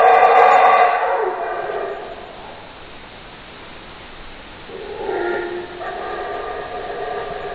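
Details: A loud harmonic howl from a howler monkey dies away after about a second, a quiet stretch follows, then a second roaring bout rises and carries on steadily.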